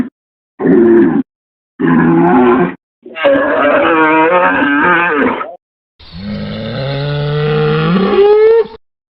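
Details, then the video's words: Several cattle moos cut together: two short rough calls, a longer wavering grunted moo, then a drawn-out lowing that climbs in pitch toward the end. "BOI BERRANDO | SOM DE VACA | SOM DE BOI | TOURO BERRANDO | BOI MUGINDO | VACA MUGINDO - SOUND OF COW"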